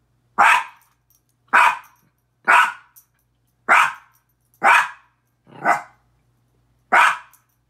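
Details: Petey, a pet Miniature Pinscher, barks at himself in the mirror: seven loud, clipped barks at a fairly steady pace of about one per second, each bark short and high-pitched, with silence between.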